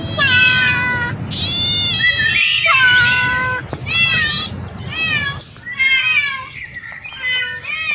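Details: Many cats and kittens meow over one another in a loud, continuous chorus of high, harmonic cries, some rising and others falling. The calls overlap in dense bursts with only short gaps between them.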